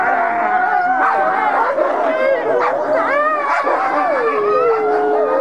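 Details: Ambassador gray wolves in a dominance interaction, filmed 15 December 2008. A steady, loud mix of long wavering howls and sharp rising yips from multiple animals, one falling whine dipping near the end.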